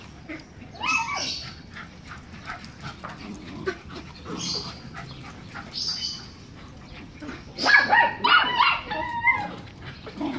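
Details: Black Miniature Schnauzer dogs giving short, high yips and barks scattered through the recording, with a dense burst of yapping toward the end, over soft background noise.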